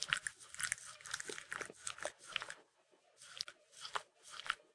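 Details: Peanut butter licked by Mindy the Sheltie: busy crunchy, sticky smacks fill the first half, then separate licks return in short clusters about every half second after a brief pause.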